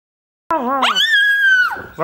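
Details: Chihuahua singing along, a single short drawn-out howl that rises from a wavering low note into a steady high sustained tone, then drops away at the end; the room is otherwise quiet.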